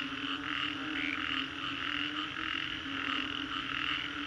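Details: After a storm at Green Corridor, Singapore, frogs keep up a thick chorus of repeated croaking pulses, with a few brief higher whistled notes rising above the mass of calls.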